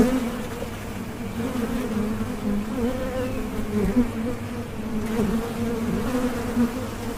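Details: Continuous hum of many bees, a dense low drone with a brighter overtone above it, holding steady with small surges and a couple of faint taps.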